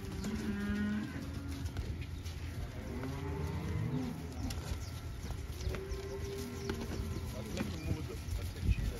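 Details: Pregnant Holstein heifers, bred by insemination, give drawn-out low moos, some wavering and others sliding in pitch, several overlapping through the stretch against a steady rumbling background with faint clatter.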